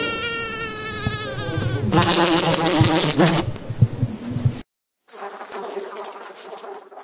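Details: Fly buzzing in a droning hum. The hum is followed by a louder, rougher, crackling burst, then a short silence and a fainter, wavering buzz.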